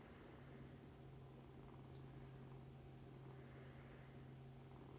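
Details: Mother cat Mummy and her nursing foster kittens, cared for through the Humane Society of North Texas, produce an unbroken, rumbling low purr lasting the whole stretch, with nothing else prominent.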